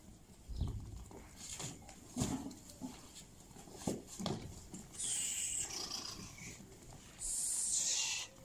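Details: Sale lambs in Settat province, Morocco: after a run of thumps and clattering handling noises, two long, high, strained bleats ring out in the second half, each lasting under a second, with faint voices around.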